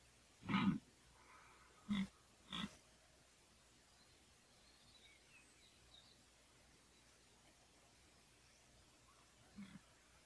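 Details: Red deer stag during the 2014 rut: three short, hoarse grunted bursts in the first three seconds, then a long quiet stretch and a faint final grunt near the end.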